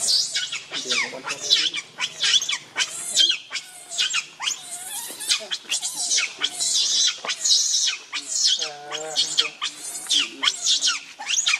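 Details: Angry monkey Rainbow defends Lucie against Kachoy, giving near-continuous shrill, rasping screeches about once a second, loud and high-pitched, with a few lower tonal cries between bursts.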